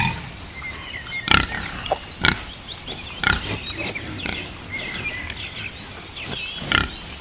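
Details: Wild boar grunting in short, harsh, noisy bursts about once a second. They are loudest near the start and again at the end, over a steady hissing background.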